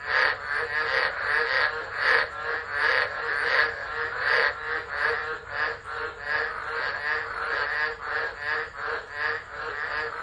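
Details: Tropical frogs singing during a tropical low at Driver, Northern Territory, Australia, December; an unattended phone picks up dense, grating croaks in rapid overlapping series, swelling and fading in waves with no other clear sounds.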